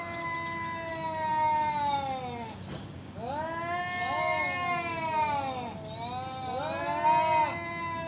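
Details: Tomcat picking a fight: long, harmonic-rich moaning yowls rise and sag in three drawn-out waves separated by short breaths, wavering in pitch throughout.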